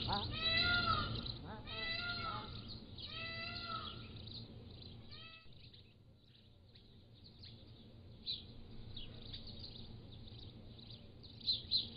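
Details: Young Pallas's cat kittens, aged 3 to 7 weeks, caught on a motion-activated trail camera give a run of four loud, wavering, harmonic mews in the first five seconds. Quieter high bird chirps follow.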